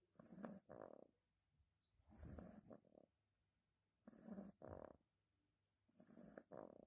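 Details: Johnny, a Beagle puppy of two months, snoring while relaxed: four regular breath cycles roughly every two seconds, each with a breathy hiss and a fluttering, snorting rattle, nothing else audible.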